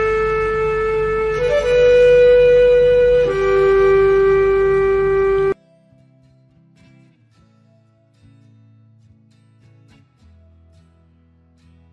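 Long, steady wind-instrument notes sound for a few seconds, then give way to faint low tones.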